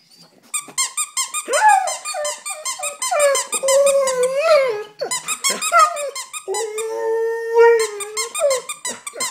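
An Alaskan Malamute cries in long, wavering whines and yodel-like wails, rising and falling in pitch.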